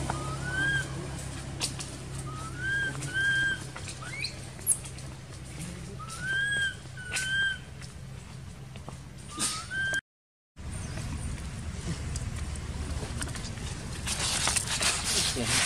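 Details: Baby female monkey in an archaeological park, crying while neglected by her mother: clear whistled cries that rise and level off, repeated every second or two for ten seconds, over a low hum, then a short gap and rougher rustling noise.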